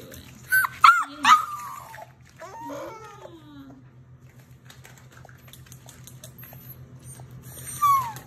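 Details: A litter of German Shepherd/Labrador/Rottweiler mix puppies, indoors: a short cluster of sharp, high whines and yelps at the start, a quieter drawn-out whimper, then a falling whine near the end, over a low steady hum.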